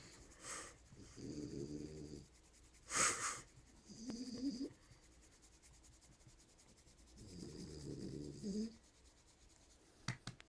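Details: French Bulldog grunting while its belly is rubbed: three drawn-out, rough, harmonic grunting bursts, each lasting about one to one and a half seconds, mixed with sharp sniffs and rubbing noises.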